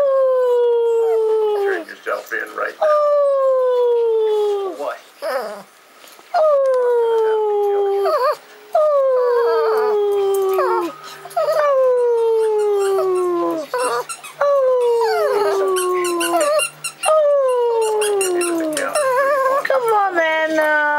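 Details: A group of pet Shih Tzu dogs singing together: a series of drawn-out howls, each starting high and sliding downward, repeated roughly every two to three seconds, with overlapping voices and brief gaps between phrases.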